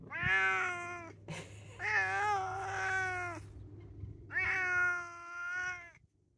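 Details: A male Bengal cross cat, with a Bengal mother and a tom father, gives three long, wavering, harmonically rich meows in quick succession while being coaxed to walk inside. He is a constant talker who meows and yowls a lot.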